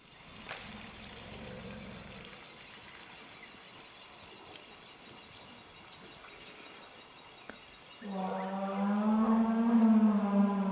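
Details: Male forest elephant in musth giving a musth rumble, possibly answering a funny-sounding distant roar: faint low tones early, then a loud, deep, harmonic-rich rumble from eight seconds, holding steady and rising slightly, over a constant high insect drone.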